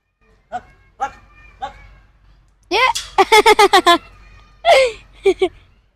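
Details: A chimpanzee couple fighting: a few short spaced cries, then a rapid run of about eight loud, harsh, arching screams, followed by two more bursts of screaming that fade out.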